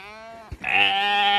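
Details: Zwartbles hoggett following its keeper along the route to a new field on a County Kilkenny farm in Ireland, begging for food; one loud, drawn-out, steady bleat rich in harmonics, lasting close to a second after a brief soft lead-in.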